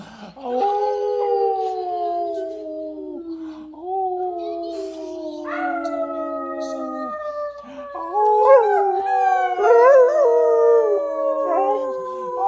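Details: Nine-month-old German Shepherd howling indoors as the owner's husband acts hurt; a series of long, steady howls that fall gently in pitch, rising into wavering higher notes near the end.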